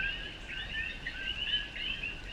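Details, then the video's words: A chorus of coqui frogs, Puerto Rico's endemic frog, males starting their night calls in rainy jungle around sundown: a dense wall of overlapping whistled chirps, many sliding upward, with low rain noise beneath. "Sounds of the Jungle: Coqui Frogs"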